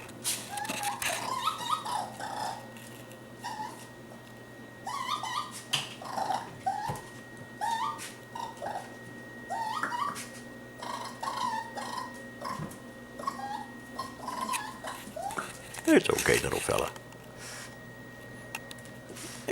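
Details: A young raccoon, lost in a kitchen in early July 2013, gives rapid, whiny chirps and whimpers that rise and fall while a person speaks softly to reassure it.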